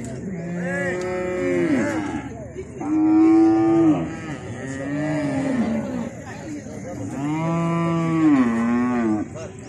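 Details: Cattle, cows with a bull, around natural mating: a series of long, drawn-out harmonic moos, some rising then falling, several overlapping, with steady background hum.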